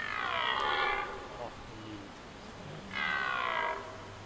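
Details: Red deer during the rut in Hoge Veluwe park, Netherlands: two loud, harsh, harmonic-rich roars, the first lasting about a second, then a pause and a second shorter bellow, over a quiet background.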